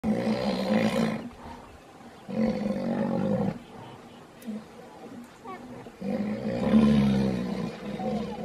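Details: Wild mature white rhinoceros bull during mate guarding, with a female in oestrus followed by the dominant bull and a non-territorial bull seeking her attention; loud, deep, harmonic moaning calls in three bursts of about one to two and a half seconds, separated by quieter gaps.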